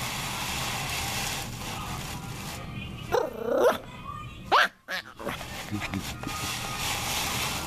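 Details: Norwich Terrier puppy named Drew Parker at play, giving a couple of short sharp yelps and a rising bark near the middle, with a quiet background before and after.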